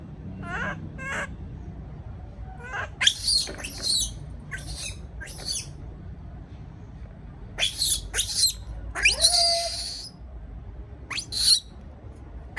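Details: Baby monkey alone in a cage, afraid, giving clusters of shrill, harsh screams and short squeaks at irregular intervals, some ending in a brief whistled note, over faint low background noise.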